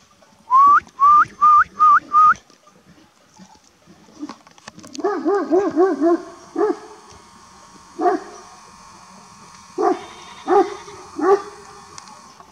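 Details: Kangal shepherd dogs guarding a flock at a village by a forest give deep, harmonic barks in uneven bursts during a wolf incident, after chasing what the owner suspects is a young wolf.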